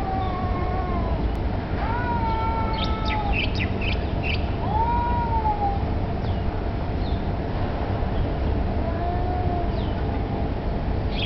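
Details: Drawn-out yowling from street cats that may be contesting territory or mating; several sliding wails with a few short higher yelps, set against constant low background rumble.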